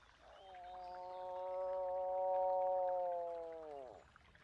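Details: A single drawn-out moose moan, rich and nasal, holding an even pitch for about three seconds and swelling in loudness before dropping away at the close.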